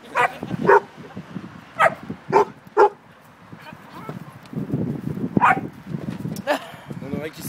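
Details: Beauceron facing off against another dog, giving a cluster of loud abrupt barks in the first three seconds, then a rumbling stretch of noise with a few more barks and a brief French voice.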